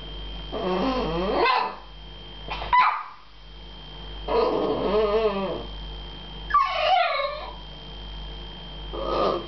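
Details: Frustrated American Staffordshire Terrier, meeting a cat for the first time and wanting to play, gives a series of high, wavering whines and yelps roughly every two seconds, some sliding downward, over a faint steady background tone.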